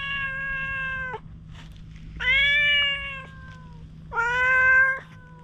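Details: A stray cat showing strong wariness meows three times, roughly once every two seconds; each cry is long and steady, sagging in pitch at its close, recorded on a GoPro as it is stroked with a grooming comb.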